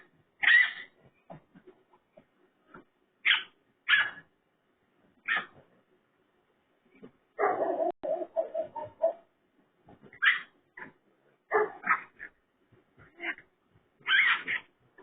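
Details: Raccoon sounding like a pig: sharp raspy squeals scattered irregularly, with a longer run of low rapid grunting in the middle of the sequence.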